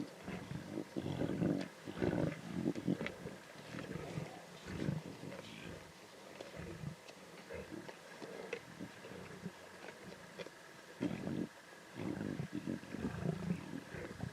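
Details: Lion cubs feeding at a zebra carcass in the Timbavati, snarling and growling intensely; low rasping growls come in bursts with short pauses, broken by brief human voices in the background.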